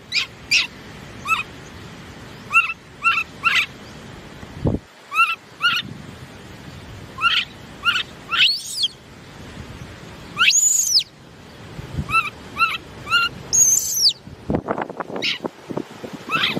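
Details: Baby monkey giving short squeaky chirps in irregular bursts, each a quick rise and fall. Several louder, higher shrieking sweeps come near the middle, with a few dull thumps between calls.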